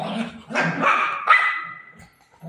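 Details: Golden retriever playing with its owner at home: a short burst of harsh barks, then a drawn-out tonal whine-like note, with a woman speaking Marathi just before.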